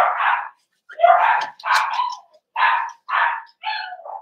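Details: Cavalier King Charles Spaniel puppies socialising with big dogs in a home pen on 12/13/22; six or so evenly spaced barks about half a second apart, the last one trailing into a whine.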